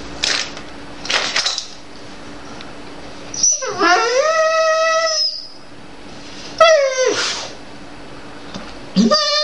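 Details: Jade, a female Dobermann, whines and complains indoors because she wants a tastier food, perhaps her siblings' food. Long drawn-out harmonic whines, each rising then sliding and flattening, come in two bouts with a short high squeak at the end, over light background clatter.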